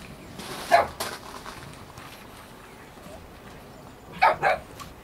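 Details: Two-month-old Chow Chow at a Chinese dog show; one sharp bark early on, then a quick pair of barks about three seconds later, with soft background murmur between.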